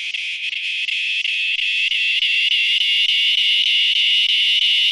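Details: A northern dusk-singing cicada, which sings right before dark on late-summer evenings and is often mistaken for a katydid, gives a steady, high buzzing drone with a rapid pulsing throb.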